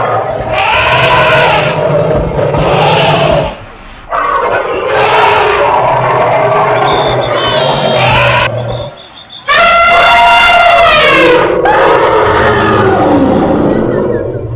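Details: Elephants in a tea garden give loud, harsh roaring blasts and a long brassy trumpet, with voices possibly mixed in.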